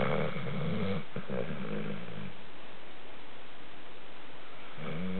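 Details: Pet dog snoring while asleep: deep, rough rumbling breaths with banded harmonic tones, loud at the start, then quieter steady noise before another snore near the end.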